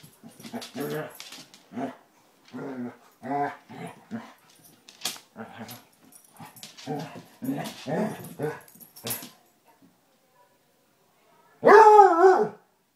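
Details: Basset Hounds Tracker and the new puppy Ranger rough housing, with bursts of chesty play growls and snorts, a silence, then one loud drawn-out baying bark.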